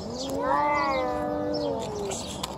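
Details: Hungry feral stray cat giving one long, steady, drawn-out meow lasting about two seconds, rising slightly then gently falling, with faint background noise.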